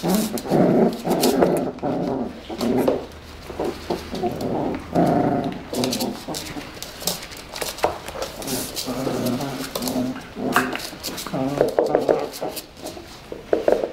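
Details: Playing Tibetan Terrier growling in rough, throaty bursts that rise and fall almost without pause, some grumbles stretching into whiny notes, over indoor scuffling and knocks.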